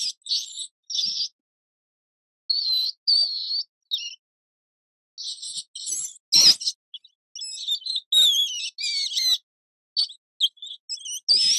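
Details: High-pitched mouse squeaks come in scattered runs, some short and clipped, others trilled and wavering, with a brief rustle or tap in the middle and quiet pauses between bursts.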